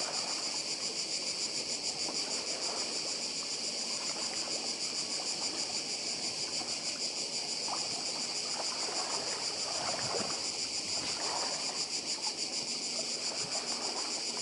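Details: Cicadas on Badija island, Croatia, their steady high-pitched buzzing drone pulsing rapidly and continuously, with the soft wash of the sea beneath.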